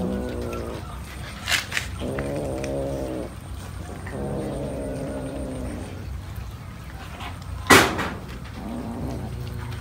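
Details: A cat eating fish gives a run of drawn-out, tonal meow-like cries, each around a second long, several in a row with short gaps, then a sharp clatter near the end and quieter cries after.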